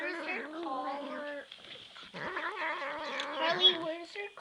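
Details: Hungry pet cat begging for food with long, drawn-out, wavering meows and yowls, one continuous cry, a short pause, then louder rising and falling vocalising, indoors.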